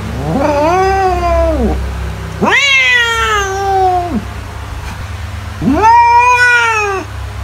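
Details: Three loud cat meows spaced about two seconds apart, each arching up and then falling away, with a constant low hum in the background.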